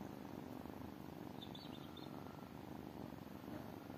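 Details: Continuous soft rumbling purr from tiny kittens, even and unbroken for four seconds, with a brief faint high chirping near the middle.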